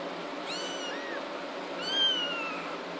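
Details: Eighteen-day-old kittens, one of a litter of six born on 6/2/2013, give two thin high mews: a short arched cry, then a longer squeal that slides downward. A steady hiss runs beneath both.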